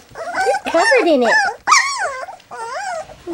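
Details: Three-week-old black English Labrador Retriever puppies fussing over their first goat's milk give loud, sliding whines that rise and fall, several in quick succession with brief pauses between.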